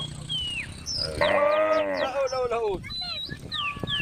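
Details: A female cow in a group of tame cows with a calf in a grass field gives one drawn-out, harmonic moo that falls away at the end, with small birds chirping nearby.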